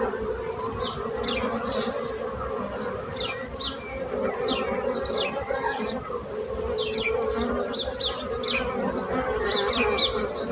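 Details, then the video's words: Steady humming drone of bees running under frequent, sharp high bird chirps that repeat through the whole stretch. "So brutzit abelles - Bees sound - Bees buzzing sound effect"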